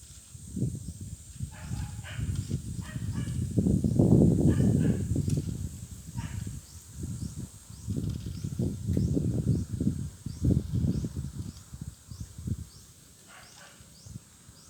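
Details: Nubian goat kids snoring after playing: low, rumbling breaths in irregular pulsed bursts, swelling loudest near the fourth second and again around ten seconds, with a faint steady hiss above.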